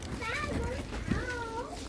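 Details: Monti, a pet cat kept at home and cared for like a child, gives two drawn-out meows that rise and then fall, one near the start and one near the end, over a low background hum.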